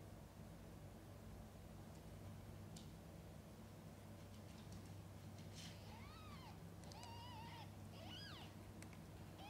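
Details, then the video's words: Cat recorded while a mother cat feeds and bathes her kittens; a few high, thin mewing calls come in the second half, one arched, one level and drawn out, one rising, over a steady low indoor hum. "Mother cat feeding & bathing kittens: sounds of pure love."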